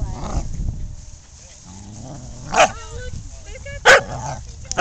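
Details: Older dogs pushing around a new puppy during play: thin whines and short yelping notes, several rising and falling, broken by loud sharp barks or bursts, with a person talking nearby.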